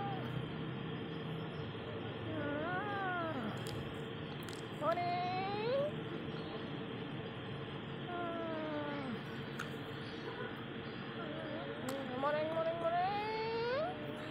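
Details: A kitten waking up from sleep gives several drawn-out meows, each rising then falling, spaced a few seconds apart. Soft Japanese speech runs throughout over a steady low hum.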